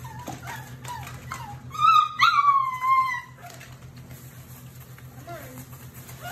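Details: German Shepherd, Labrador and Rottweiler mix puppies in a litter give a loud, high, slightly falling whine lasting about a second and a half, preceded and followed by softer short squeaks and whimpers, with a constant low electrical hum underneath.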